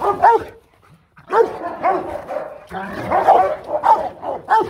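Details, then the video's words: Aggressive Rottweiler barking to threaten another dog: harsh, deep barks delivered in dense overlapping bursts with growling undertones, a brief silent gap near the first second, then continuous rapid barking to the end. "Chó sủa dọa chó: Tiếng sủa uy lực khi Rottweiler hung dữ| Dog barking strongly"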